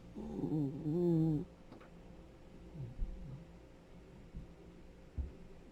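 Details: Rescued senior Dachshund, a 10-year-old male, snoring indoors: one loud, wavering, harmonic snore lasting about a second and a half, then quiet low breathing with a few faint clicks.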